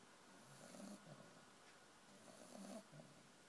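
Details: Sleeping puppy snoring, two raspy, buzzing breaths about two seconds apart, each with a soft hiss on the exhale, in a quiet room.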